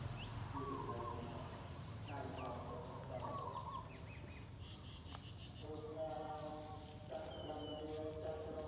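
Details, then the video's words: While trying to nurse from its mother, a puppy gives repeated whimpering whines, each a squeaky wavering cry. Some calls are drawn out, with short gaps between bursts, against a constant low background hum. "A puppy are trying to breastfeeding mom's"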